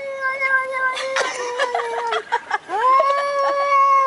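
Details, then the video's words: Two fairly large male cats making aggressive noises before fighting, sounding like crying babies; a sustained level yowl, a stretch of broken, wavering cries with short noisy bursts, then a rising long steady wail. "Cats Making Funny Noises!!!"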